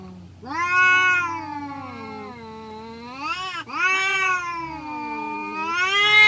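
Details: Village cats fighting, a long drawn yowl rising and falling in pitch, broken by a brief sharp dip near the middle before a second sustained wail that climbs again at the end; a low steady hum underneath.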